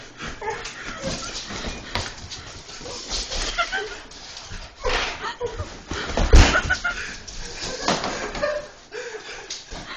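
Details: A German Shorthaired Pointer gives excited barks and whimpers while chasing a man through a house with hardwood floors, amid human voices and household thumps.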